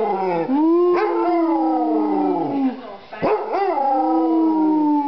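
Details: Drawn-out howling from the Basset Hound Molly: a wavering, falling tone, a short pause, then a new howl starting with a rising yelp-like break.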